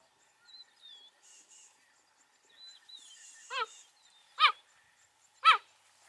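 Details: Wild adult male cheetahs, three of the five-member Fast Five coalition, calling while searching for two separated coalition partners across a river in Kenya's Maasai Mara during a very rainy February; faint thin whistles early, then three loud descending chirps about a second apart.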